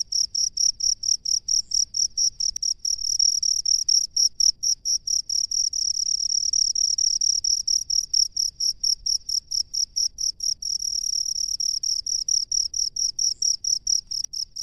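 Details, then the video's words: Crickets living in rice fields, heard as a steady series of short, very high-pitched chirps, about two per second, continuing without pause throughout, with faint low rumble underneath. "SUARA JANGKRIK PENGHUNI SAWAH"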